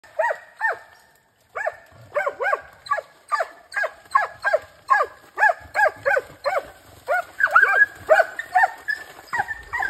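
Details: Hunting hounds, a Brandlbracke and a Slovenský kopov, hunting wild boar: loud, ringing barks in a quick, uneven series, several each second.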